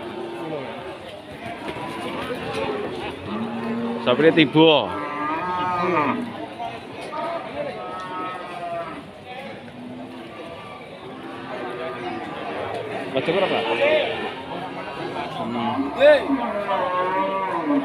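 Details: Lowing at Pasar Wage Pati, where Limousin cattle are for sale: several overlapping moos from many animals, the strongest bursting out near four to five seconds, amid steady crowd voices and market bustle.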